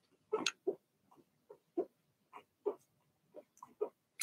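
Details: Young Blenheim Cavalier King Charles Spaniels from a litter of six in a home puppy pen, a run of about ten short, squeaky yips and barks spaced roughly every third of a second, some soft and some louder.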